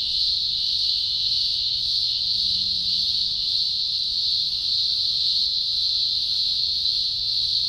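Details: Thousands of green grocer cicadas chorusing during an early October 2020 emergence in Australia's Blue Mountains; an unbroken, intense high-pitched buzz, steady in loudness, with faint low rumble beneath.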